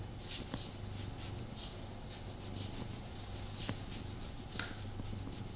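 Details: Low, rhythmic purring from Tommy the house cat as he snuggles with his owner, the rumble swelling and fading in regular pulses beneath light scratchy rustles and a few faint clicks.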